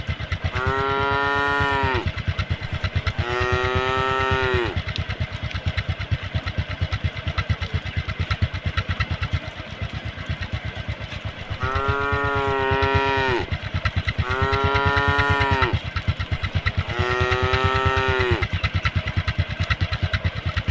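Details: Tame cattle crossing a puddle on a road beside a forest: five drawn-out, arching, tonal moos, each lasting about two seconds and spaced in two groups, over a steady, rapid putter of a motorcycle engine.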